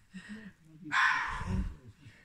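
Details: A fox gives one harsh, scratchy, hoarse bark at night in October 2020 that cuts in abruptly and trails off after about half a second, with soft human voices murmuring; the fox reportedly wants to play with a cat.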